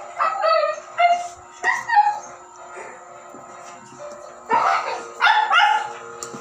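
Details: Siberian Husky puppy at its first meal, giving short harmonic yelps and whiny barks in bursts near the start, the middle and the end, over background music and clapping.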